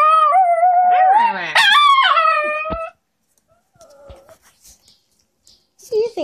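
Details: Nine-year-old female dog 'talking' after her facial fur was clipped: a rising, wavering howl of about three seconds, then near quiet with faint human speech and a short sound at the end.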